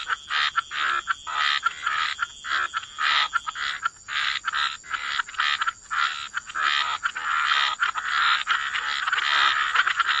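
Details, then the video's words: Chorus of croaking frogs at the water's edge in wetlands: overlapping rasping croaks in rapid bursts, building into a nearly continuous wall of sound in the last seconds, over a constant thin high hiss. "Frog Lullaby: Relax to the Sound of Croaking Frogs"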